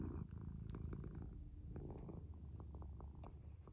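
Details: Female tabby cat purring: a soft, continuous low rumble with faint rhythmic pulsing, close and quiet, with small clicks and rustles above it.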